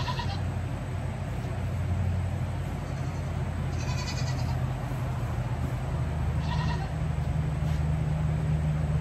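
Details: Young goat kids bleat during a day of hanging around and having their hooves trimmed: a few quick, strained cries spaced a couple of seconds apart, half-buried under a constant deep mechanical drone.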